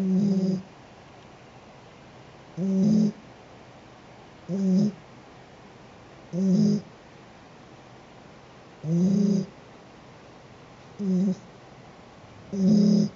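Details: Sheeta, a pet cat, snoring steadily: seven rough, low, buzzy snores, each about half a second, spaced roughly every two seconds with quiet pauses between breaths.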